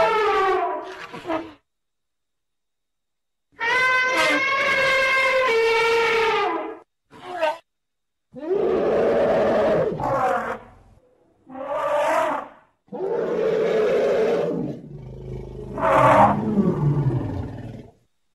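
An elephant trumpets several times, each blast a loud, rich, horn-like blare lasting one to three seconds. Some calls waver and roughen toward the end, with brief silences between them.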